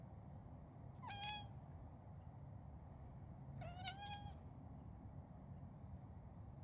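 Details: Indoor cat chattering quietly at birds outside that it cannot catch, giving small 'nya nya nya' sounds; two brief harmonic bursts come about two and a half seconds apart against a quiet background.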